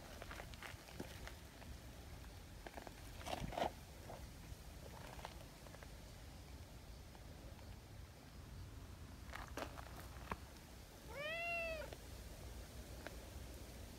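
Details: Tabby cat Nyahha, an affectionate community cat, after seeking affection: one drawn-out arched meow late in the clip, preceded by soft rustling, handling noises and clicks.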